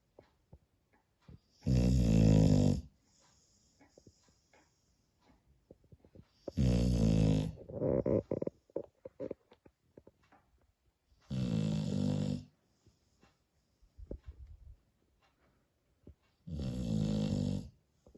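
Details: Spaniel dog snoring in deep sleep: four loud, rough, low rumbling snores, each about a second long, spaced roughly every five seconds, with faint wheezy breaths and small rustles between them.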